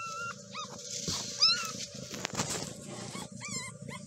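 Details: Just-born kittens of a stray mother cat, hidden under a kayak, mewing in brief high squeaks that rise then fall, about half a dozen scattered calls, with a constant low hum and faint handling noises behind.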